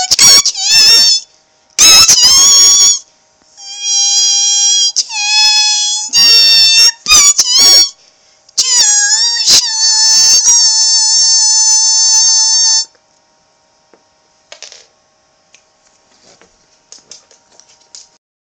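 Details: Gertie, a small black female pet pug, 'singing her heart out': loud, high, squealing whines in sustained notes that bend up and down, given in bursts of one to four seconds, then quieter brief squeaks toward the end.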